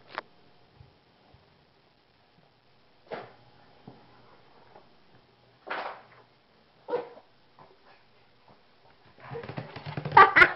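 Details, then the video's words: A Shih Tzu named Vegas sneezes in a fit brought on by anger during play with his owners. Short, isolated snorting bursts come every second or two, then a louder scuffling, noisy flurry at the close. "having an angry sneezing attack"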